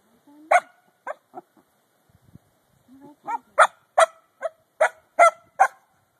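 A corgi grumbles, then lets out a run of short, sharp, complaining barks.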